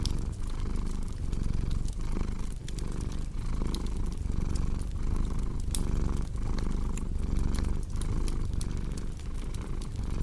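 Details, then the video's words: Deep, even purring of a cat, rising and falling with its breathing about once a second, accompanied by frequent bright crackles from a fireplace. "Purring Cat with Cozy Crackling Fireplace Sound"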